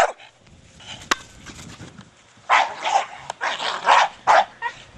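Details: Brogan, a four-year-old Staffordshire Bull Terrier, playing with his big hard plastic ball. Quiet opening with a couple of sharp knocks, then a run of loud, hoarse barks in quick bursts during the second half.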